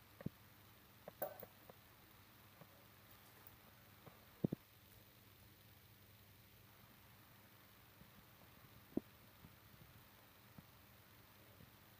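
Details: Near silence with a faint background hiss and a few scattered taps and clicks.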